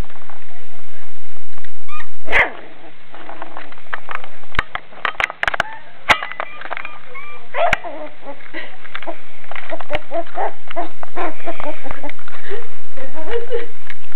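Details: Beagle puppy, described as tough, giving short high yips and barks in irregular bursts, roughly 28 a minute, with a person talking in between and a steady low hum underneath.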